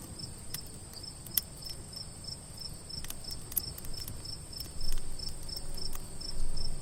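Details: Crickets at night give high, steady pulsing chirps over the snapping and low roar of a crackling campfire.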